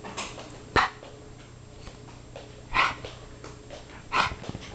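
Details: A 6-month-old Brussels Griffon named Leizl, wound up on a couch while being growled at, gives three short, sharp, noisy barks about one and a half seconds apart over a low steady indoor hum.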